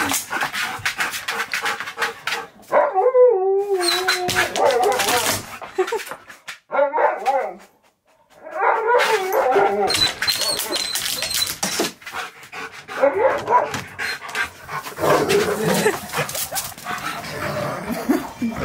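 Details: Male Siberian Husky at a best-friend reunion, excited after hearing his favourite words; long wavering, yodelling whine-howls that rise and fall, mixed with short barks and whimpers, among overlapping human voices and background music.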